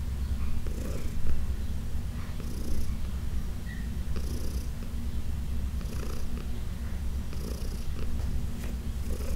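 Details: Fourteen-year-old rescued female cat giving a loud, steady low purr during a massage session at home, with gentle rhythmic rubbing sounds from the massaging hands repeating roughly every one and a half seconds.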